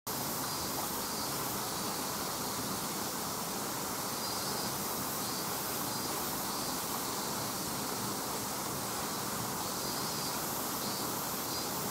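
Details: A constant, even hiss covers the whole recording, much like rushing water or strong wind. No calls or other animal sounds stand out above it.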